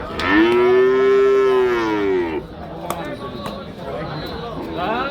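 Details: Cow at the Hazratpur cattle market lowing loudly: one long, steady moo of about two seconds that rises slightly and then falls away, followed by crowd murmur and scattered knocks.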